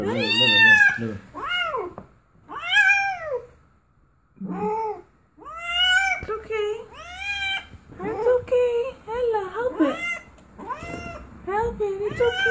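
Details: During labour, a domestic cat lets out repeated strained meows, each one rising and then dropping, some short and some stretched, with a person's calm murmured speech in between.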